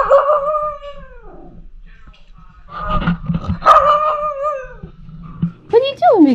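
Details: A female Pomsky puppy, Liberty, gives drawn-out, wavering howls that slide down in pitch, like chatty talking. She howls all day about everything and here talks to her cat sister.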